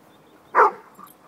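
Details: A single short, high yap from a playing puppy, cutting off quickly and leaving a faint murmur of background sound.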